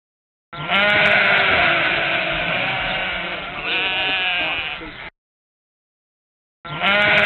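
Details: Sheep bleating in a dense, continuous chorus of overlapping harmonic cries for about four and a half seconds, then a short silence before the bleating resumes loudly.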